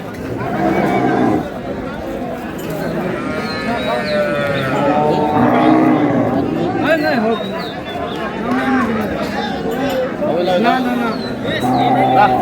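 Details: Cows with calves at Ambari livestock market, Dinajpur, Bangladesh, on April 6, 2026: a drawn-out, wavering moo rises and falls midway, with shorter lowing later, over constant crowd chatter and men haggling nearby.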